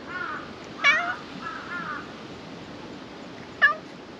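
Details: At a shrine, a black cat that has come out from under the floor asking to be petted makes low, wavering murmured mews, then two short, clear meows nearly three seconds apart.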